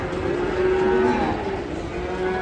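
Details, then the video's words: Frightened cattle coming down from a truck on a Saturday, giving a drawn-out low moo with a steady tone through most of the clip, over background noise. "SAPI NGAMUK KETAKUTAN TURUN DARI TRUK HARI SABTU"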